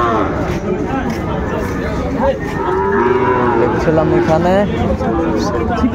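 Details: Among Sahiwal bull calves at a Dhaka cattle market, 20 January 2025, several overlapping moos sound, some short and some wavering, rising and falling through the six seconds against a dense background of crowd noise.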